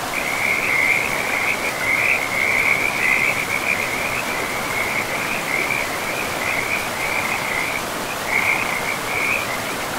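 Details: Frogs calling by a river deep in a pristine, mossy forest, a loud, shrill, pulsing trill that holds almost continuously, with a short gap near the end, above steady rushing river noise.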